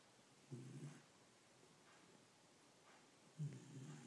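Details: Pet dog snoring, said to sound like a human: two low, rough, rumbling breaths about three seconds apart, each under a second long, quiet against a soft steady room hiss.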